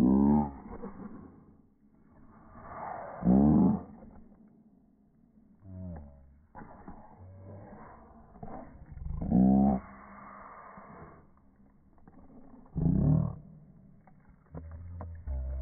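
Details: Play-fighting Boston Terriers tussling over a ball. Short, harsh growling snarls come in bursts roughly every three seconds, with quieter grumbling and huffs in between.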